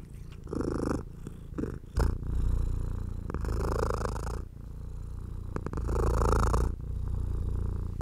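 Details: House cat enjoying being stroked, giving a continuous deep purring rumble. Soft rubbing sounds of the hand rise and fall in uneven strokes over it, some lasting more than a second.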